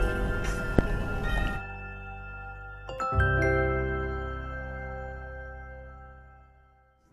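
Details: Bright chiming music of glockenspiel and marimba tones, with a loud opening passage that gives way to ringing sustained notes fading out toward the end; no animal voices.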